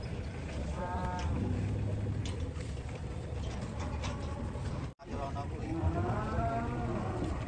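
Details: Cattle becoming agitated while unloaded from a fully loaded truck; two short, low moos with layered harmonics, near the start and again after a brief cut, under steady background noise and people talking.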